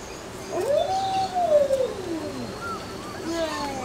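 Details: Alaskan Malamute pups aged 26 days, recorded 20 September 2009; one drawn-out howl rises, holds and slides down, followed by short higher yips and whines.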